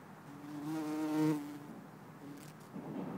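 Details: Bumblebee, either Bombus hortorum or Bombus terrestris, filmed in Lisbon on 4 December 2011: one loud, close low-pitched buzz swelling and cutting off after about a second, followed by faint rustling.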